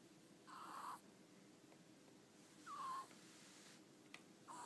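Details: Domestic ferret Ten-chan in deep sleep, eyes half open, tongue wiggling; brief raspy snores with a thin falling whistle recur roughly every two seconds, with a faint click between them over quiet room hiss.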